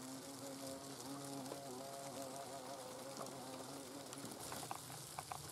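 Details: Low, droning wing hum of hornets in their nest, holding steady for several seconds, with faint rustling and scattered sharp clicks near the end.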